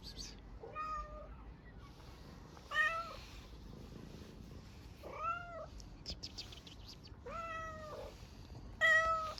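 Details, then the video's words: Street cat in Istanbul asking to be fed: five arched harmonic meows, each rising then falling, spaced roughly two seconds apart, with quiet clicks and street hiss between. "Hungry street cat meows for food with a strange sound"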